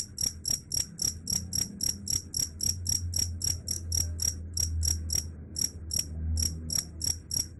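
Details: Loud, rapid cricket chirps, bright high-pitched pulses in a slightly uneven rhythm, with a low droning hum beneath.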